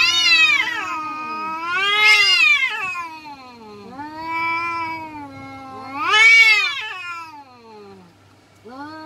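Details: Village cats in a fight, trading loud wailing yowls in surges every few seconds, each swelling to a harsh high peak then sliding down into a moan; low hum beneath.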